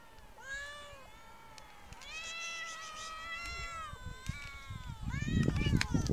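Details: Street cats, said to keep their distance from people, giving drawn-out, wavering meows one after another with little pause, the pitch bending up and down, ending with a rising cry over louder low rustling and outdoor noise.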